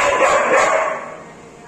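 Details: A 2-year-old German Shepherd guarding a cow house gives a quick, harsh guard bark that fades away within a second.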